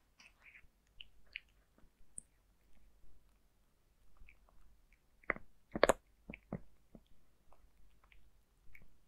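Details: Cat named Zayka eating dry food in a quiet room: soft scattered clicks of chewing, then a cluster of loud crunching bites before small ticks resume.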